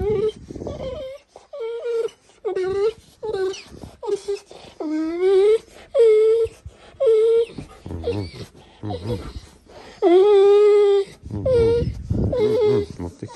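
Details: A Golden Retriever "talking" in the morning. It makes a string of short whining, moaning bursts, some rising and wavering, repeated every half second to a second, with human voices murmuring between them.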